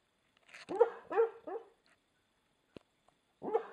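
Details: Spike, an American Stafford, barks in his sleep, a quick run of three soft, muffled woofs, then a pause with a faint tap before one more subdued bark at the end.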